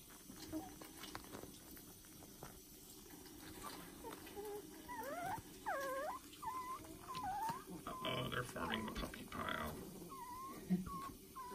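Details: Fostered puppies from a new litter, about two and a half weeks old, give high wavering whines and squeaks, several rising and falling, over people talking in a small room.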